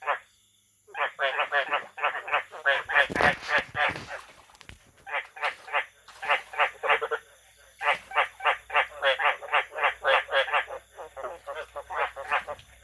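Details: Frogs calling in a dense chorus of rapid, pulsed croaking notes, several per second in bursts with short pauses; a brief burst of laughter and voices near the third second.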